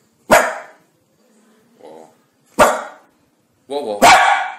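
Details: Pet dog in a home setting gives loud, sharp barks: one at the start, another about two seconds later, then a final pair near the end, with a softer low yelp between them and quiet pauses.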